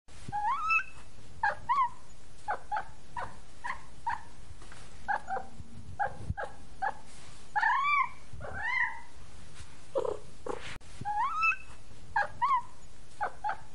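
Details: A tired, sleepy kitten gives short, high meows over and over, many with a rising and falling bend, about one every second, over a low steady background hum.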